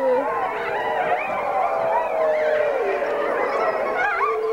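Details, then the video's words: Grey wolves howling together as a pack while a packmate greets her hand raisers; dense, overlapping drawn-out howls, gently wavering and sliding, with higher yelping voices threaded through. "Wolf pack howling"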